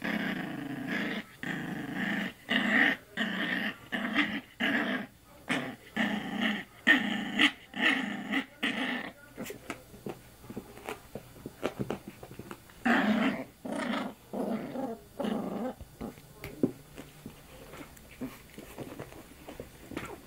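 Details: Young female pup tries her luck play-biting a person's arm, growling in a rapid run of short grating bursts for about nine seconds, then quieter scattered growls and rustling before a brief renewed burst.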